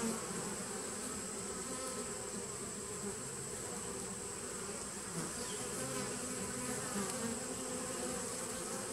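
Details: Nucleus colony of honey bees from 2017, heard on 19 September 2018, giving a continuous layered buzz; low tones swell briefly now and then over a constant hum and hiss.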